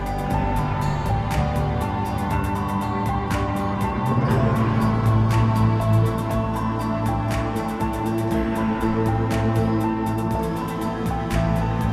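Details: Calm background music of sustained tones under a fast, steady ticking beat throughout, with no buzzing or other animal sound.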